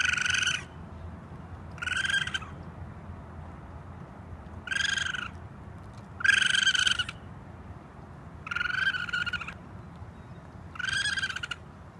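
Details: A raccoon (Procyon lotor) gives short, shrill, harmonic cries, repeated about every two seconds.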